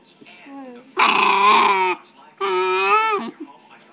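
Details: A 9-week-old teething Bull Terrier puppy gives two drawn-out, strained, wavering howls with a raspy, growly edge, likened to dinosaur noises.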